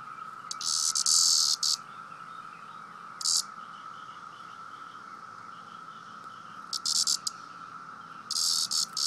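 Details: Cicada, a male, calling while being poked and disturbed: loud harsh buzzy bursts, some long and some short, broken by pauses, over a steady faint background hum.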